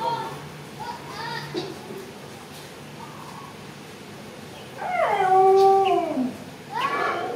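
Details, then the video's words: Mother cat waiting for someone to feed her, giving a loud, long drawn-out meow that wavers then slides downward near the end, preceded by softer short mews and followed by another brief cry, with faint voices in the background. "Mom cat is waiting for someone feeding food"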